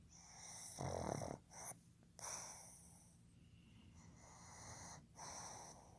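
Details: Male pug Fukuzou, born 15 July 2020, snoring loudly in his sleep indoors: a deep, rattling snort near one second, then shorter wheezy, raspy breaths in an uneven rhythm, with quieter hissing exhalations between.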